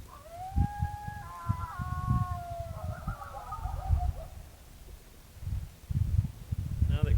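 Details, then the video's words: Coyotes at night by a remote campground in farmland north of Dallas-Fort Worth, Texas, give a long rising howl that climbs, wavers, then breaks into several overlapping falling yips and quavers, with low rumbling noise and thumps underneath. "We had our own yard, we had a place for Pumbaa to play, place to bathe Pumbaa, and it was also remote and in some farmland to where you can hear our new neighbors here, the coyotes."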